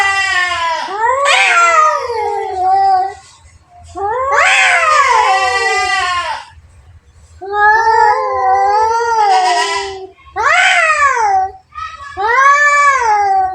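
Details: Two cats in a fight trade harsh, wavering yowls, five bursts of one to two seconds with rise-and-fall contours and short silences between them.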